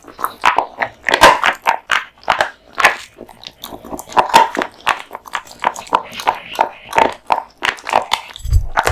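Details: Kotetsu, a male American Bully dog born in 2016, eating a big lunch of raw meat and bones indoors; wet crunching and biting bursts repeat irregularly through the clip, with a low thump near the end.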